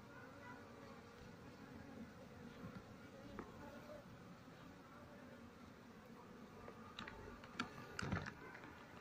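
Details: Apis cerana, the Asian honey bee, with part of the colony clustering outside its nest in a speaker during honey harvest and relocation, the queen missing. Even, low insect drone with scattered clicks and handling knocks near the end.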